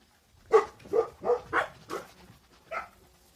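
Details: Yelping Central Asian Shepherd puppies from Russia: six short tonal yelps, about one every half second, each sliding slightly in pitch, with quiet gaps between.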